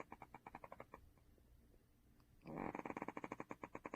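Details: Sleeping dog named Duhee, second pet of the family, snoring: a soft series of clicking flutter pulses, then a louder, denser burst of rhythmic rattling breaths.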